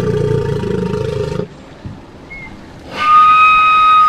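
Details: Walrus whistling: a loud, rich harmonic tone held for about a second and a half, a near-silent gap with one brief faint high note, then another steady, bright high whistle sustained to the end.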